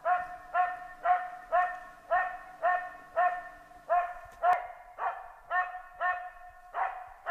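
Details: Finnish Spitz out hunting; ringing, high barks repeat steadily about twice a second, each with a slight upward bend, a brief gap near the middle, over a quiet forest background.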